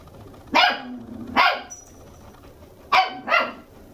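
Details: Indoors in Arakawa, Tokyo, a red female Toy Poodle puppy two months old barks in two pairs of sharp, bright yaps, about a second apart within each pair, with a soft background hum.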